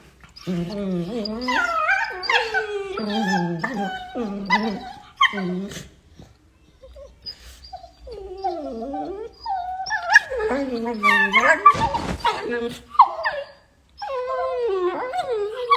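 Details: Playing Beagle puppies whine and yelp in quick, high, wavering bursts, with brief quiet gaps between.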